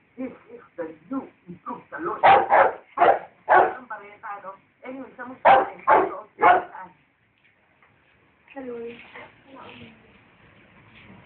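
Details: A dachshund and a rottweiler barking at each other: a run of loud, sharp barks in quick bursts, some closely doubled, then a pause before people's voices take over toward the end.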